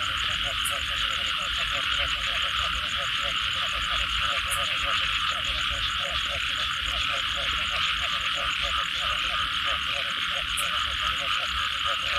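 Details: Frogs calling after rain: dense rows of short pulsed croaks in a steady chorus, under a loud continuous high buzzing drone, with a few sharp high clicks.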